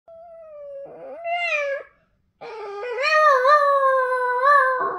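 A Boston Terrier howls in long, wavering tones, breaking off briefly before a louder, sustained second howl.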